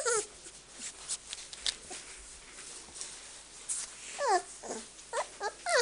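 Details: Five-week-old Samoyed puppies with their mother Arttulan Meritähti, indoors; brief high whining cries with sliding, wavering pitch, a few scattered early and a quick cluster near the end, over soft rustling and breathing.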